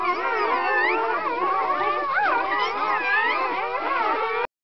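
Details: Newborn Kuvasz pups, a litter of twelve born on 4 April 2011; overlapping thin, warbling squeals and bent whines form a constant high-pitched chorus that stops abruptly at the end.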